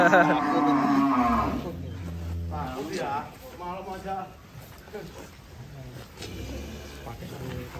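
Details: Giant cattle being unloaded from a truck at Bintang Tani Farm, Indonesia: deep, drawn-out lowing for the first seconds, then shorter rough calls mixed with men's voices and handling noise.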